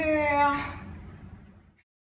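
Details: Ginger Snap, a female Basenji, talkative as if trying to tell something: a short harmonic yodel-like vocalisation around half a second long, slightly wavering, fading into low room noise.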